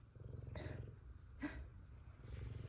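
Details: F2 Savannah cat purring contentedly while happy to see its owner. The deep, pulsing rumble swells and fades in long stretches, broken by a few soft scuffing noises.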